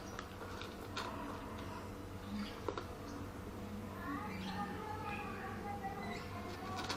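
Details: Pregnant orange classic tabby cat, very greedy for food, giving short rising-falling meows near the middle, over a steady low hum and background murmur.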